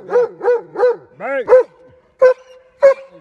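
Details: German Shepherd dog in Chhattisgarh, India, barking three times in a steady rhythm, then a drawn-out whining bark, followed after a pause by two separate short, sharp barks.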